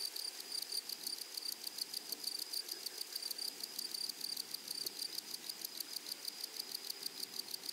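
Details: Grasshoppers on a flowery prairie, a loud, continuous high-pitched rasp broken into rapid, closely spaced pulses, with the pulsing steady from start to finish.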